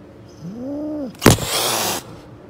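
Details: Street mother cat guarding her kittens gives one short arched wailing call, rising then falling, followed at once by a loud rough burst of broadband noise lasting under a second.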